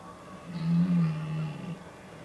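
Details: Red deer stag during the October rut, Oostvaardersplassen, Netherlands, 15 October 2011; one deep, low, drawn-out roar lasting over a second, swelling and then fading against quiet background hiss.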